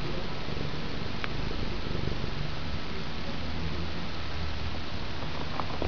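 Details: Male pet house cat purring during a play-fighting session with its owner indoors; a steady, low, rumbling purr runs unbroken through the whole stretch, with a faint click and light rustling in the background.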